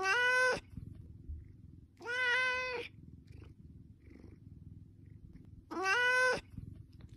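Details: Hungry house cat meowing for food, three loud, evenly spaced meows about two seconds apart, each strongly harmonic and slightly falling at the end, over a low steady background hum.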